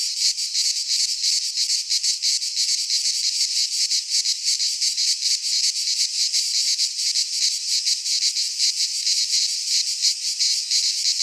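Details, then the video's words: Greek pine-forest cicadas in midsummer, many insects blending into one piercing, sizzling drone with fast regular pulsations that never stop across the stretch. "Cicadas singing in midsummer - Nature sounds from the Greek fauna - Sounds of cicadas"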